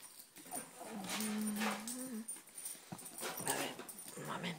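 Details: Cavalier King Charles Spaniel puppy from a Spanish litter born 7 April 2014, trying to get out: a steady low whine held for about a second, then softer whimpers amid rustling and a woman talking.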